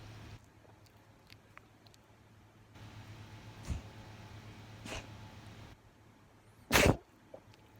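A Persian cat lets out a few quick, explosive sneezes, each a brief puff of hissing air. Two softer sneezes come first, then a louder, harsher one near the end against a quiet indoor hum.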